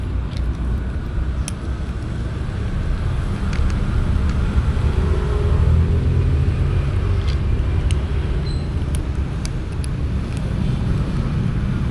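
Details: Loud low rumble of passing road traffic at a local market, with scattered faint clicks and no animal calls.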